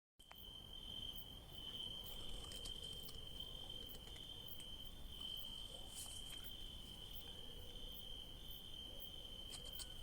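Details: Crickets trill at night in a vineyard where grapes grow, a continuous high, ringing chorus over a low background rumble.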